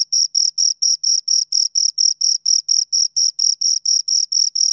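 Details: Two crickets give short, bright, high-pitched chirps, each pulse distinct, around twenty in under five seconds at a regular pace, with silence between pulses.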